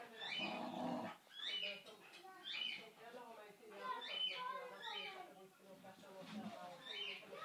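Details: Boxer Kofi and Basenji Kiko playing together: a rough, noisy growl opens, then a run of high chevron-shaped whines and squeals repeats roughly every second over a low rumbling undertone.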